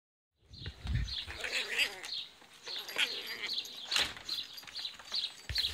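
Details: Several eight-week-old Italian Greyhound puppies from one litter make thin, high-pitched whines and bleat-like squeaks that waver up and down, with sharp knocks and rustling handling noises breaking in repeatedly between the calls.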